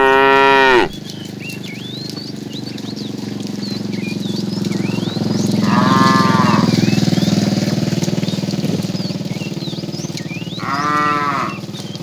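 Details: Tame cows wandering along a road in search of food give three rich, harmonic moos, the first cut short, with a steady low rumble and scattered bird chirps underneath.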